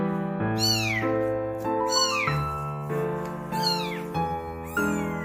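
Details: A nearly abandoned kitten crying insistently as if searching for something, later revealed to be human warmth. Four high, falling meows come roughly every one to one and a half seconds over steady piano music.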